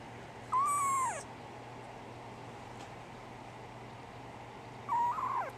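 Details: Brown tabby and white female kitten born 24 December 2010 gives two drawn-out meows, level then dropping at the end, about four seconds apart with quiet between them.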